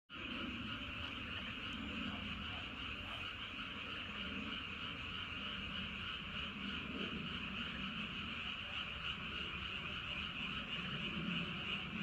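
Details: Frogs calling at night near Wolyeong Bridge and Hahoe Village in Andong, South Korea: a dense, continuous chorus of overlapping croaks forming a steady high buzz, over a low rumbling background.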